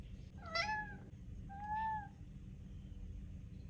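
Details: Hungry male cat pestering for food at mealtime, not stopping until fed: a bright, abrupt meow followed about a second later by a longer, smoother, slightly arching meow, over steady low background rumble.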